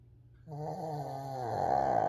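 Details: Fourteen-year-old Shih Tzu named Coco asleep and snoring, a wavering nasal moan that slides slightly downward and then turns into a harsher, louder rasp near the end, in a quiet room.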